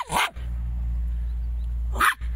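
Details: Jack Russell Terrier giving two sharp barks about two seconds apart over a constant low electrical hum, with Latvian speech around.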